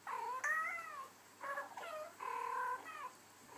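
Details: Two male Abyssinian cats indoors, reacting to recorded voices of female cats chatting: several drawn-out, bending meows with clear harmonics, rising then falling, four calls in under four seconds.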